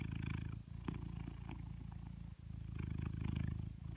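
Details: A blue British Shorthair named Coconut purrs loudly during brushing. The deep, continuous rumble swells and fades with each breath, dipping briefly twice. Soft bristle rustles run over it.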